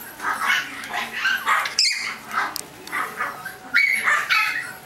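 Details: Chihuahua puppies giving a string of high, thin yips and whimpers, several short squeaky calls a second, some rising then falling, with a brief louder squeal midway and faint room noise beneath.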